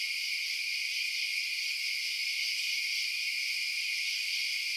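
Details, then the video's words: Crickets chirping at night, a dense and steady high-pitched shimmering chorus with no breaks, several layered bands of trilling running continuously, no low sounds at all. "Night Sounds Crickets Chirping"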